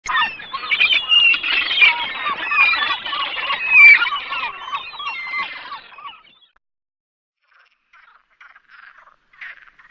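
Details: Perez's frog, also known as rana común or ra verde, in the Sierra de Barbanza near Noia, Ría de Noia. A run of rapid, nasal croaks lasts about six seconds, then fades to silence with a few faint scattered notes.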